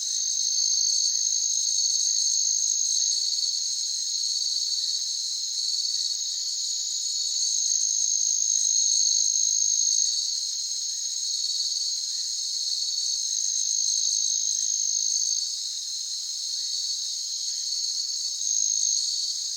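A chorus of crickets fills the air with a continuous, high, shimmering trill. Fainter pulsed chirps rise and fall over it in slow waves, with nothing else heard.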